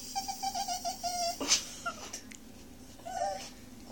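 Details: A Miniature Schnauzer puppy at dinner gives a run of short, wavering whine-howls, begging for broccoli, which he loves.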